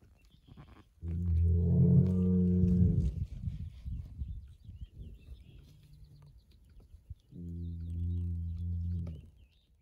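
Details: A farm bull moos twice. A long, deep, rich moo of about two seconds is followed by a pause with low rumbling. A second similar drawn-out moo comes next, and faint bird chirps sound in the background.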